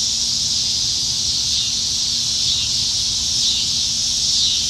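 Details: Nebraska summer evening in July 2019, with many cicadas in the trees producing a continuous shrill, high-pitched drone that swells and eases in slow, soft waves, with no other clear sounds.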